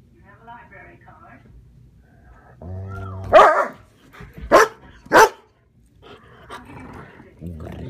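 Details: Pet German Shepherd Sheba guarding against another German Shepherd, Max: three loud, sharp barks spaced about a second apart, after a high whine and mixed with human voices talking quietly before and after.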